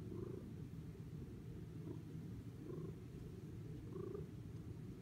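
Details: Spice, a fluffy female cat, purrs while giving herself a bath: a steady low rumbling purr runs throughout, with a few faint soft squeaks on top.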